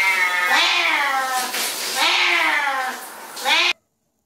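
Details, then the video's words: Pet cat caterwauling in a funny kitten compilation: three stretched, arching meows, the last rising sharply before the sound cuts off abruptly. "Vocal Cats"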